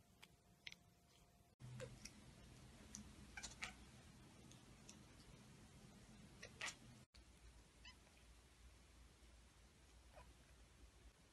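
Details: A cat chattering after spotting a bird or insect: scattered brief clicking chirps, bunched mostly in the middle part, faint over a steady low indoor hum, with abrupt cuts between sections.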